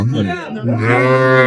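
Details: Cattle at Ambari haat, a cattle market in Dinajpur, where improved-breed dairy cows and calves are sold. After brief, rougher vocal sounds, a low, steady, droning moo holds firm to the end.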